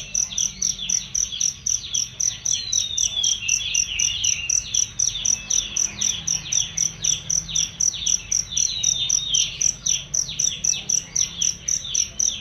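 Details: Cricket chirps meant as a tutor sound for songbirds, clear and shrill, pulsing evenly about four times per second while varied bird twitters and falling whistles run beneath.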